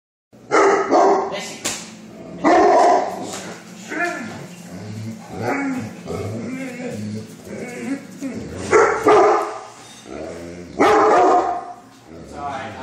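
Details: Great Pyrenees barking together with Newfoundlands; loud, deep barks come in irregular bursts over about thirteen seconds, with a person speaking and background music also heard.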